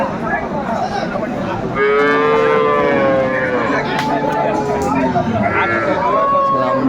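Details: Improved-breed dairy cattle with calves at the Aftabganj livestock market, Dinajpur, 21/4/24. After a stretch of crowd noise, a sustained moo begins and slowly falls, and a brief rising call follows near the end. Market chatter continues throughout.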